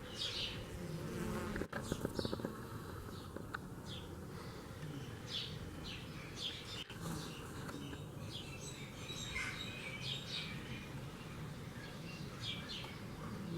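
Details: Honey bees at work in Kashmir, a thick continuous buzzing drone with swelling passes of nearby bees, accompanied by scattered high bird chirps and twitters throughout.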